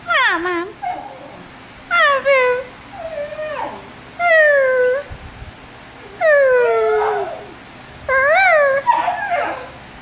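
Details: A male Basenji talks back, giving a run of yodelling, wavering, howl-like vocalizations in bursts about every two seconds while being urged to do another one.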